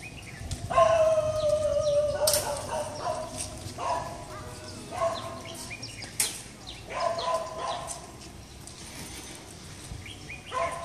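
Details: A dog at Wat Chedi Luang temple in Chiang Mai gives short, tonal barks and yelps, repeated every second or two in uneven bursts.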